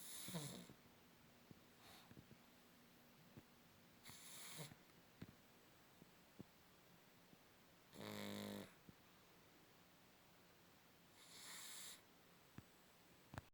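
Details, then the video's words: Pug snoring: soft breathy broadband snores come in bursts about every four seconds, one louder rumbling snore near the middle, with quiet room hush and faint clicks between breaths. "Мопс храпит."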